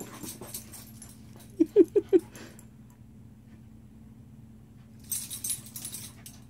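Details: Shiba Inu named Rainbow, indoors with another dog, Ringo, while sharing: four short whimpers in quick succession, each rising slightly, packed into half a second, then quiet with a low steady hum and a later burst of rustling.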